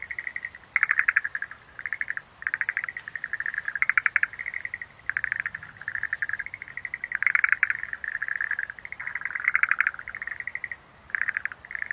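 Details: Chorus of Schlegel's green tree frogs: overlapping bouts of fast clicking trills, each a second or so long, hardly pausing, with occasional faint high-pitched ticks above.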